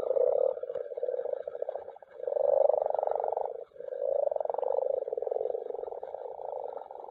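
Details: Spawning common frogs (Rana temporaria) massed in a mountain pond give a steady, grumbling chorus of rapid pulsed croaks that swells, dips briefly and swells again, several animals overlapping.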